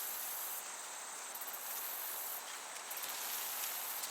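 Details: Crickets chirping in a summer meadow, a dense high shimmering trill broken into bursts of rapid pulses about every second, over a steady breeze-like hiss.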